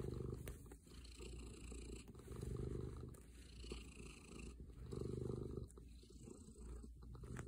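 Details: Gaster, a cuddly male house cat, purrs while snuggling after his owner comes home; deep continuous rumble pulses with each inhale and exhale, about every two seconds, close to the microphone with light rustle.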